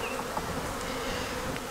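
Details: Steady, dense droning of honey bees at a hive being checked for a queen, brood and stores after a cold morning in the 30s, with brief faint higher whines over the low hum.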